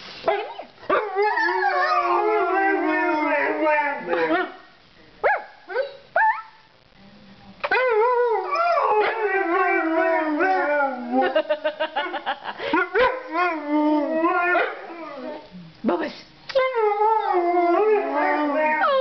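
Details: A litter of snow dog puppies makes music together with choppy wavering howls mixed with quick yips and whimpers, voices stopping and restarting in bursts with short quiet gaps between.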